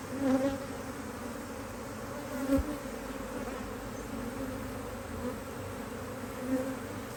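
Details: Busy honey bees from an Australian Hive IQ beehive opened in almost mid-Autumn 2023 to put on an extra box; constant smooth humming drone with a few gentle swells and one faint knock.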